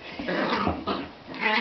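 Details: Young Jack Russell Terrier romping with a cat at home, giving rough, noisy growling bursts, two or three in under two seconds, with a harsher higher squeal at the end.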